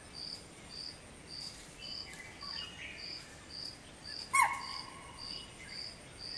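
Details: Early morning, around 5:30 am: a spotted deer sounds one abrupt, shrill alarm call to warn its family of a person on a machaan near a lake. Rhythmic cricket pulses continue throughout.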